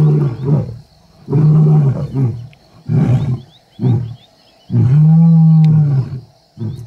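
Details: Kambula pride lions and the Ndhzenga males, wild, in MalaMala Game Reserve, filmed while mating. Short low grunts are spaced about a second apart, then one sustained, deep, steady roar, then a final grunt.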